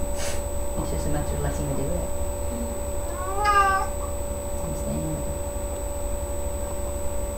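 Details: Domestic cat Sasha calling while giving birth to three kittens on May 14th, 2011, indoors: a single drawn-out, wavering meow midway through, with quiet human voices and a steady low hum around it.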